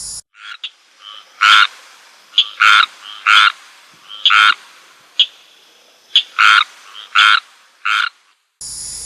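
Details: A male squirrel treefrog (Hyla squirella) gives harsh, duck-like quacking notes in an irregular series, possibly its rain call, calling behind a house after rumbles of thunder.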